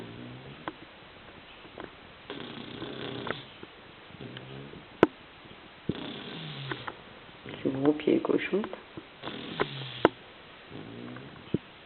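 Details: Agathe, a little dog, snoring while asleep: soft, rasping breaths drawn out in long strokes roughly every three seconds, with a brief burst of speech midway and a few light clicks.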